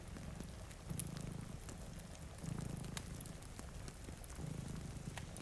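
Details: Sleeping cats by a rainy window give a deep, rumbling purr with three stronger swells, near one, two and a half, and four and a half seconds. Fireplace crackles and soft rain fill the background.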